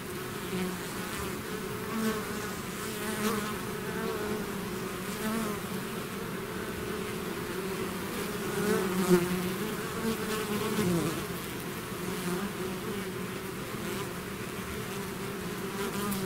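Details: Steady buzzing of a bee swarm that has left its hive, a continuous low droning hum with a wavering overtone and a brief louder swell partway through.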